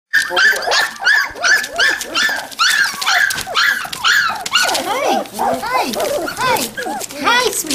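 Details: Standard Poodle puppies from two litters of 21 in total, five and three weeks old, visited near Columbia Falls, Montana, on November 22, 2013: many high, arched whines and yelps overlapping in quick succession, mixed with a woman cooing and talking.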